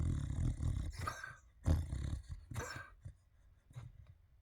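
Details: Gentle snoring from a sleeping dog lying in a fluffy bed among fluffy toys, ears twitching. Deep, buzzy breaths rumble continuously, broken by a few sharp broadband rustles, then fade quieter toward the end.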